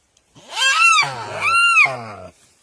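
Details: Deer crying: two loud, bleating cries in quick succession, each rising and then falling, with a high nasal tone over a low rough undertone, the whole pair lasting about two seconds.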